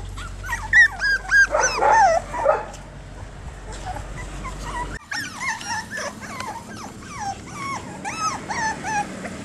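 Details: One-month-old Jack Russell Terrier puppies, ten together, playing on the lawn on their first back-yard visit without their mom: sharp yips and a warbling squeal, then after a brief break more overlapping thin, whining yips.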